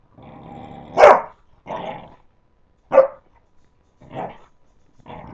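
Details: Playing puppies give a buzzy growl followed by sharp bark-like yelps at irregular intervals, about five bursts separated by short silences.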